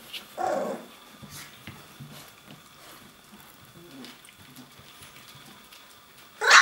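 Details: Twenty-one-day-old puppies at play, practising growls and barks: one short raspy yelp-bark early, quiet shuffling and faint grumbles, then a sharp bark cut off at the very end.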